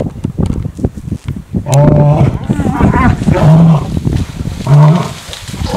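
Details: Lions contesting a buffalo kill with loud bursts of deep, moaning roars and wavering snarls, each lasting about half a second, mixed with scuffling rasps.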